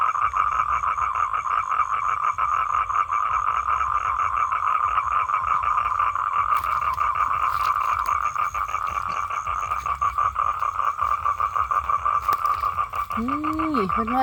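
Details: Male toad trilling to attract a mate: an unbroken, rapid pulsed buzz at a constant pitch throughout, with faint clicks midway and a brief human voice at the very end.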